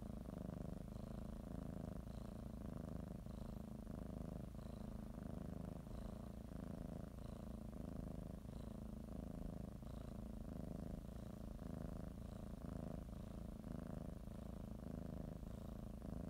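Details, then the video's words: Pet cat, readying for a morning nap, kneads and bites a blanket while purring; deep, even rumble rising and falling with each breath, roughly every second and a half, over a quiet background. "Sometimes you just need to listen to a kitty purr"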